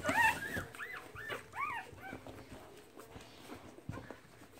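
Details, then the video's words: Keeshond puppies nursing in March 2017; a few short arched whines and squeaks early on, then quieter rustling and soft shuffling sounds. "Keeshond nursing"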